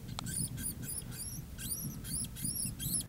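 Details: A tiny, barely weaned young hispid cotton rat, just shaken from a live trap and being handled, gives thin, high squeaks in quick succession as an alarm call.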